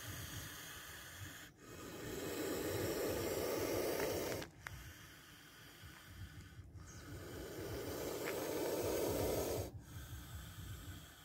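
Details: Hissing spectacled cobra, recorded close while it strikes: drawn-out rushing exhalations of two to three seconds, separated by brief silences, over low background noise.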